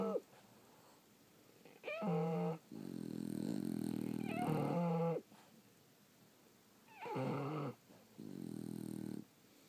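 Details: French Bulldogs asleep indoors, snoring: rasping breath-noise bursts about a second long, alternating with high whistling nasal squeaks that rise and fall, pauses of quiet between breaths.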